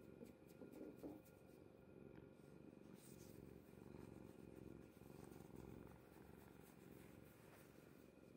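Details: Kuri, a domestic cat asleep on mother's bed, purrs in a soft buzzing rumble that pulses gently with her breathing. A quiet steady hum from an indoor appliance is in the background, with occasional rustles.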